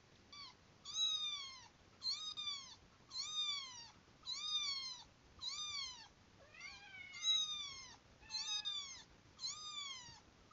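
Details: Kitten mewing played for a cat that approaches on hearing it: eight bright, falling meows repeat about every 1.2 seconds, fairly evenly, with near silence between calls.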